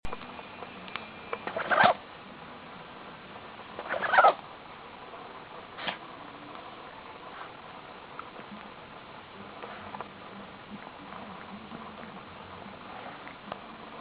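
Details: Pomeranian named Nana sneezing: two sharp, explosive bursts near two and four seconds, a fainter one near six, then quiet room noise with small rustles.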